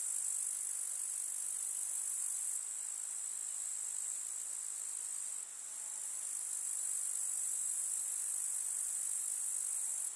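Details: Grasshoppers in a summer countryside meadow with wildflowers: a steady, dense, very high-pitched shrill chirring that runs unbroken throughout, with slight shifts in loudness near three and five and a half seconds.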